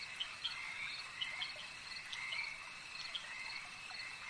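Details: Frogs calling at a lake: a dense chorus of short, bright croaks repeated over a steady high buzzing drone, with rapid pulsed notes overlapping throughout.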